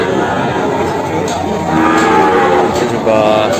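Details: Morning at the Kebumen animal market in Indonesia, where jumbo Peranakan Ongole cattle are sold; short, faint lowing notes rise through thick crowd noise in the second half.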